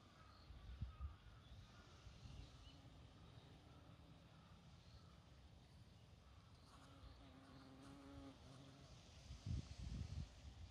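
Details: A single, slightly small honeybee visiting toad lily flowers in a garden in early October, gathering before winter, gives a low, steady wing hum that drifts in and out, strongest midway, against a soft outdoor rumble and brief handling thumps.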